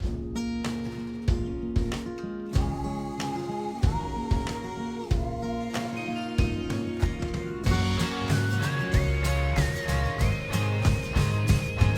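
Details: Acoustic guitar music with strummed chords, plucked notes and a sliding melody line that rises in steps, with no animal sounds.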